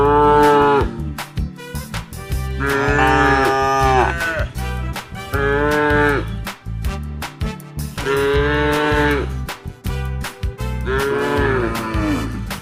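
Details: A group of tame cattle with calves moo repeatedly in long harmonic calls over a steady rhythmic music beat.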